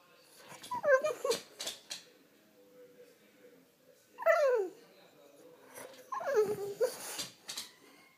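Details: French Bulldog waking its owner indoors: three short, high whining yelps that slide downward, each with snorting breaths, spaced about two to three seconds apart, with faint rustling between them.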